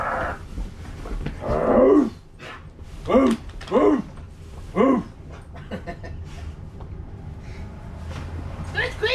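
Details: Siberian huskies Loki and Bandit at home, playing with a newly found stuffed husky toy: several arched, harmonic woo-like howls and grumbles spaced about a second apart, with a man's voice talking between them.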